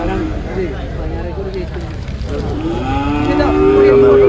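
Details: Cattle at Manjeri market, buffalo calves and cows: a low moo swells and rises toward the end, after a stretch of men's voices and busy market chatter.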